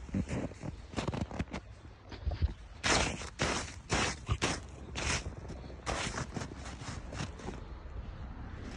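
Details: Repeated scraping and scuffing noises from digging outdoors fill the recording, with no animal call audible.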